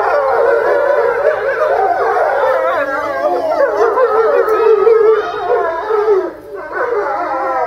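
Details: Grey wolves at Tama Zoo in Japan, March 2016, howling lazily while lying down; a dense chorus of overlapping wavering howls, pitches sliding up and down, briefly dipping near the end before voices resume.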